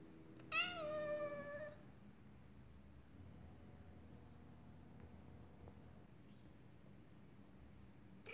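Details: A female Scottish Fold cat sitting and watching birds through a window gives a single drawn-out meow, rising then falling.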